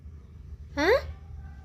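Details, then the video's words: Mufasa, a pet cat, answering in a conversation with its owner indoors: one short, clear meow that rises in pitch and lasts under a second, over a low steady hum. "Cute Conversation With A Responsive Mufasa -The Cat King"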